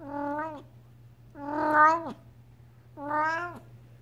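A Devon Rex cat meows three times in quick succession, each call rich in harmonics and lasting about half a second or more. The middle meow is longest, and every call falls away at its close over a faint low hum.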